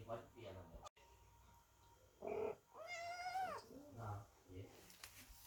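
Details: Cats and kittens sit by the door, worried, while Chloe gives birth indoors; a clear, drawn-out meow rises then slides down, between soft human voices and small household noises.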